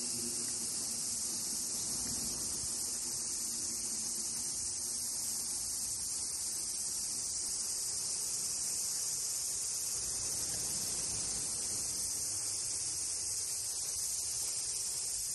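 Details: Cicadas singing in summer at Fukuoka Castle Ruins, Japan, on 16 July 2023: a dense, continuous high-pitched hissing drone with no breaks, over low faint background rumble.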